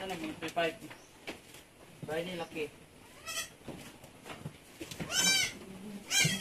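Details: Anglo-Nubian goats at Terra Grande Farms, San Carlos City, Negros Occidental, Philippines, during a birthing that produced seven kids in one day: a man talks, then two high, quavering bleats sound near the end.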